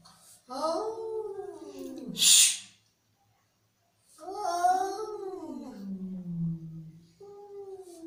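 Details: Angry cat making two bending, wailing yowls separated by a short burst of harsh hissing noise, then a low held moan.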